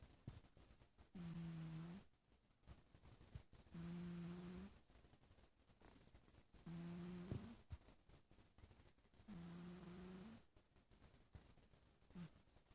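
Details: A small sleeping kitten snores in steady cycles, each tonal, humming breath lasting about a second, with a clear low droning pitch and fainter overtone, recurring roughly every three seconds indoors.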